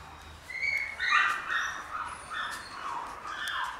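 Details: Black Shiba Inu male puppy, born 31 July, gives a string of high, whining whimpers. The tones bend up and down and come in short overlapping bursts over a few seconds, with a quiet low hum underneath.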